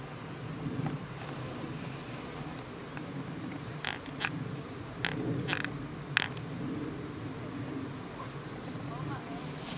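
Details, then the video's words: Bees at a hive: a steady, low droning hum from the colony, with sharp clicks and taps scattered across the middle of the recording. "Hive with bees"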